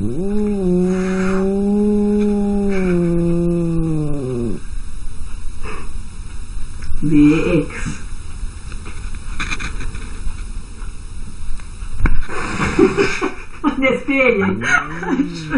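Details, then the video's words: Arguing cats open with a deep, throaty, wavering yowl lasting about four seconds. Scuffling, thumps and a shorter mid-pitched cry follow, then a burst of higher, chaotic squalling near the end over constant low background noise. "Crazy arguing cats"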